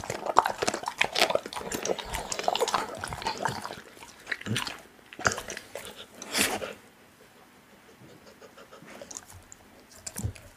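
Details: Pit bull eating raw meat indoors: wet, crunchy bites and smacking chews in dense bursts for about seven seconds, then quieter scattered chomps with short pauses.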